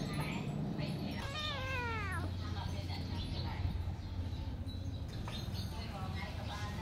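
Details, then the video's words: Cat meowing loudly: one drawn-out, wavering meow that rises then falls, with fainter meows later, over a constant low hum and background voices. "Cats🐈meowing very loudly - Billi ki awaj - बिल्ली की की"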